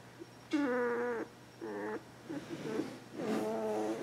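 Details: Border Collie puppy, two weeks old, indoors with littermates, makes three whines that hold a steady pitch, each about half a second long, spaced a second or so apart, with faint rustling and shuffling between them.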